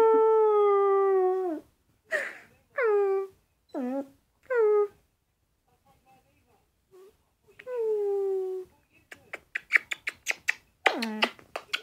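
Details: Puppy howling for the second time ever: a drawn-out falling howl, then several short downward-sliding yelps with pauses, ending in a quick run of clicky pulses.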